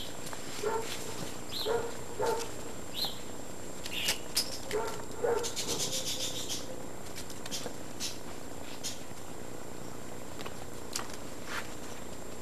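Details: Several Great Dane puppies from litters O and N, 52 to 56 days old, at Baia delle Sirene breeding, Italy: brief high yelps and squeaky whines repeat through the first half, fading to occasional clicks and faint background hiss.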